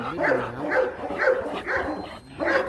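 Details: Short clipped barks, five in under three seconds, from Rottweilers Marvin Gervi and Kacyno Gervi during a mating session in Hanoi, Vietnam, where the male stud works to win over a reluctant female; faint talking between barks.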